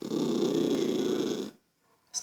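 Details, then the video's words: Toy poodle named Lucky, indoors, irritated by a child's noise: a steady, rough, rumbling growl held for about a second and a half, then silence and a faint click. "Poodle irritado com a criança fazendo. Barulho"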